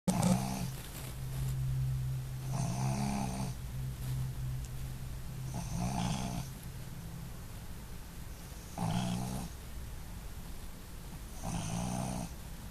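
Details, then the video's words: Female Boston Terrier snoring while asleep indoors; rough, rumbling breaths recur roughly every three seconds, each a low buzzy snort with a raspy, hissy edge. "the Boston Terrier Doesn't Snore!!....or Does She?"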